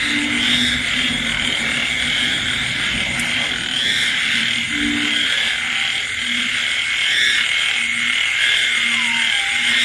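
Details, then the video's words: On a rainy countryside night, frogs call late alongside insects. Low croaks come in short bursts every second or so against a constant shrill chorus, with an occasional higher sliding note. "Bạn nghe tiếng ếch nhái kêu trong đêm khuya."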